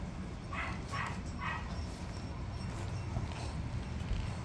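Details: Three clear, quick yelps from small Miniature Pinscher puppies come close together near the start, then fade into a constant low droning hum.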